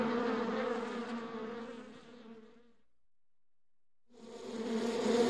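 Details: Honey bees inside a beehive: a dense, droning hum with a steady low pitch and a brighter overtone, fading out to near silence midway before the buzzing swells back in loudly.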